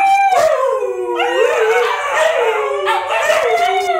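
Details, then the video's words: Four dogs, among them a small puppy, howl together. The Siberian Husky howls in long, wavering tones that slide up and down. "Siberian Husky Howling"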